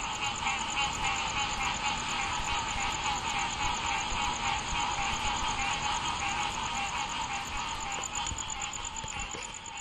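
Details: A dense chorus of Green Treefrogs (Dryophytes cinerea) recorded in Marrero, Jefferson Parish, on 29 April 2016 gives nasal, honking calls repeating rapidly over a steady insect whine.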